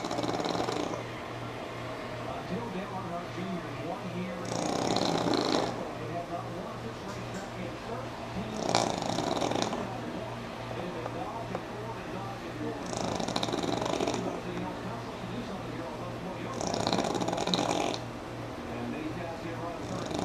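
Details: Pug named Sammi sleeping through NASCAR, giving five loud, breathy snores spaced about four seconds apart, each a rough hissing rush, with faint television talk and a constant low drone between them.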